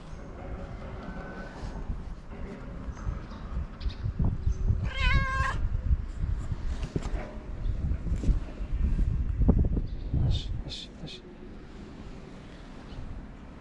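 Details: Hungry stray cat on a street in Morocco, friendly toward the person feeding her, gives one short bright meow midway through, surrounded by steady low rumble, rustling and clattering sounds.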